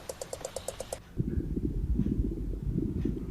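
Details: A second of quick, even mechanical clicking gives way to a low, rumbling mechanical noise, with no animal voice heard.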